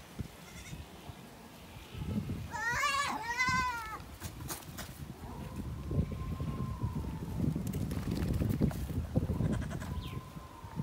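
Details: Goats during mating, one giving two loud, wavering bleats in quick succession, followed by long low rumbling and shuffling noise with a faint steady tone in the background.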